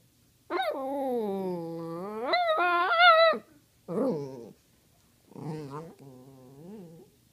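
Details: Pet dog named Cody asking for treats with a long, wavering howl-like whine that climbs higher near the end, followed by two shorter warbling, talking-style moans.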